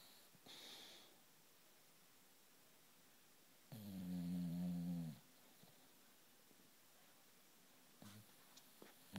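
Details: Sleeping female British bulldog named Loulou gives one long, loud, droning snore lasting over a second, with a deep buzzing tone, after a brief whistling breath and then quiet, faint breathing indoors.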